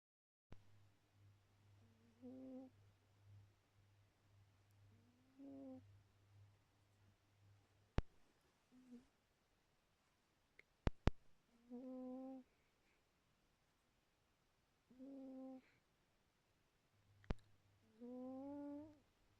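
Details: Khaly the cat snoring, soft whistled nasal snores of about a second each, repeated roughly every three seconds, with gaps of quiet and a steady low hum and a few sharp clicks in the background.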